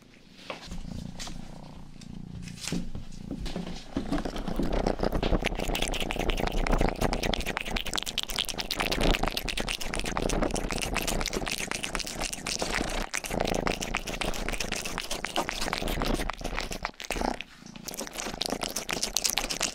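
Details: Rangi, the youngest domestic cat of the household, purrs indoors while grooming a listener's ears. A low continuous rumble runs under dense, wet licking and scratching strokes that crackle steadily across the whole stretch.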